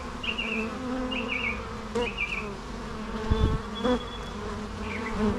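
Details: Constant buzzing hum of bees beneath a bird's short, high, twittering phrases repeated roughly every second, plus a few faint thin whistles.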